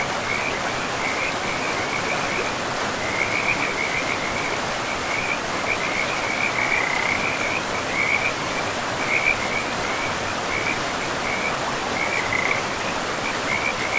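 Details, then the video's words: Riverside frogs in an untouched, mossy forest trill in quick, high-pitched bursts, repeated one after another across the whole stretch, set against a dense, unbroken roar of running water. "River and Frogs sleep sounds"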